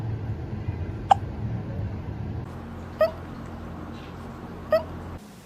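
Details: Soft cat hiccups indoors: three short, sharp, chirp-like catches, roughly two seconds apart, over a faint low steady background hum.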